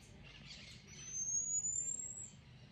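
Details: Marmoset calling to warn its companions of a nearby cat: one long, thin, very high whistle that rises slowly and steadily for over a second before stopping, over soft, steady background hiss.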